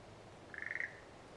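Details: A single frog call from the satoyama countryside in Japan: one brief, rapidly pulsed rattling croak lasting about a third of a second over quiet background noise.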